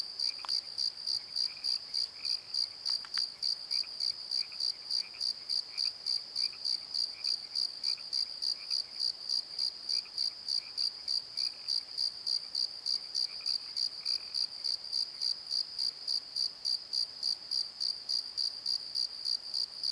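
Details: Crickets calling at night in a valley bottom by a tree in Pozo: a steady high-pitched chirping pulsed about three times per second, with a fainter higher overtone and a few soft lower chirps in the background.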